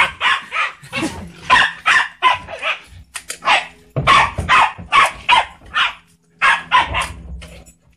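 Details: Pet Pembroke Welsh Corgi, male, barking frantically while someone moves the trash bin, his reaction every time. Nonstop harsh barks, two or three per second, broken by short gaps, with a low hum underneath.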